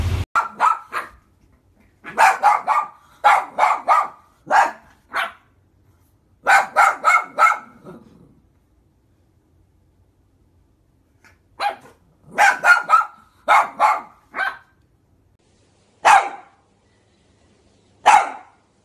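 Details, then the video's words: Shih Tzu barking in a compilation, sharp barks in quick bursts of three to five, then longer gaps with single barks toward the end; no other sounds stand out. "SHIH TZU BARKING - SHIH TZU HOWLING AND BARKING COMPILATION 2016"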